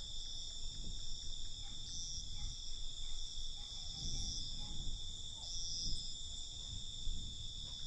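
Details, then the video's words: Nighttime crickets producing a steady high trilling drone, with short brighter chirps surfacing every couple of seconds over a low muffled rumble. "Night Cricket Sound"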